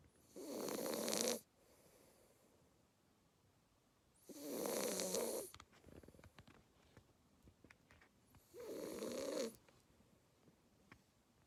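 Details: Asleep, a two-month-old Labrador Retriever puppy snores steadily, three loud raspy, rattling breaths each about a second long, arriving roughly every four seconds, with soft breathing and small clicks between them.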